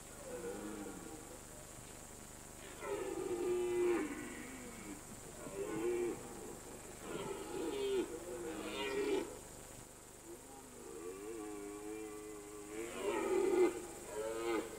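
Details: Rutting red deer in mountain pasture during the September–October season: a series of deep, hoarse bellowing roars, each one to two seconds long, coming in bursts with short pauses, and a steady high-pitched hiss in the background.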